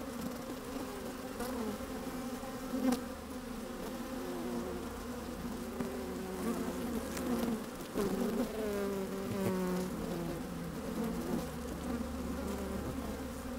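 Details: Inside an open beehive on a sunny day, honey bees at work make a steady droning hum, with a few individual buzzes rising and falling in pitch around the middle and a low wind rumble underneath.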